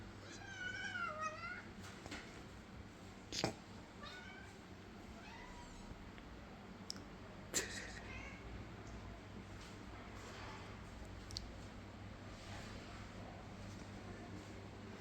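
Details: Cats eating hot roast chicken; a series of high, wavering meows in the first two seconds, then quiet chewing with scattered clicks and thumps over a low steady hum.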